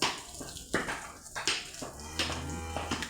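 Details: Cattle at a large farm in Kurigram, kept near a temple and being fed; a low, steady, drawn-out moo rises in the last second, over a man talking in Bengali.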